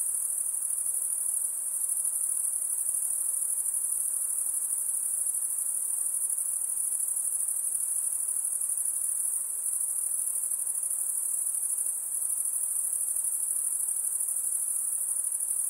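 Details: Insect sound forms a sustained, very high shrill buzz that never pauses, steady in pitch and volume all the way through, with a faint hiss underneath.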